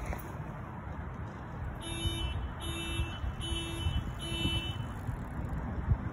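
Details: Four evenly spaced electronic beeps, like a car alarm or buzzer, sound over a steady low rumble of outdoor background noise, with no animal voice.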